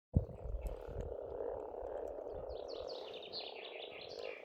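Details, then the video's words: Frogs calling in spring at a pond in Estonia: a dense, steady, buzzing chorus with low thumps at the start. Faint high, chirping birdsong rises above the chorus in the second half. "Расслабляющее пение птиц и лягушек, весна, природа."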